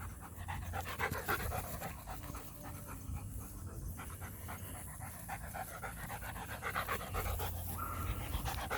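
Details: Show line German Shepherd named Joe from Florida, about three years old and son of a world champion, pants in quick breathy bursts, roughly four per second, with a low background rumble throughout.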